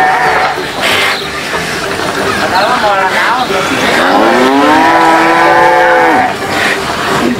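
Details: Farm cattle jostling as they compete for food give a long, low, drawn-out moo that rises and then holds steady for about two seconds, with shorter, rougher lowing before it and busy barn noise throughout.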